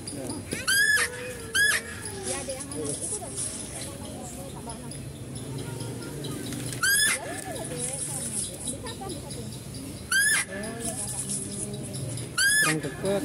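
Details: Zoo female deer heard while a male deer is fed: five brief, shrill, rising squeals scattered through the recording, the first two close together, with people talking quietly between them.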